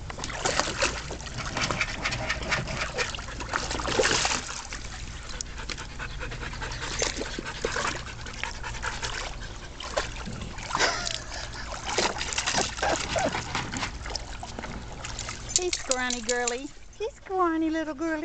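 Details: Shelter dogs awaiting adoption play together, including scrawny young female Crystal; quick rhythmic panting dominates alongside splashing water, and a brief high whimpering whine rises and falls near the end.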